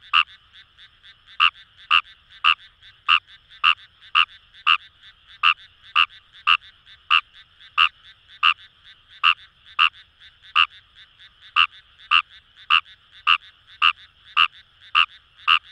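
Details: Paddy-field frog Fejervarya kawamurai, recorded in the Kamo River rice fields of Itoshima, Fukuoka Prefecture, Japan, croaking in a fast, fairly even series of sharp clicky notes, roughly two per second, over distant chorusing frogs.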